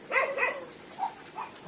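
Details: A rescue-shelter dog at Hanna's shelter in Daegu, South Korea, gives two quick, close barks, followed by a couple of softer, shorter yelps over a low background hum.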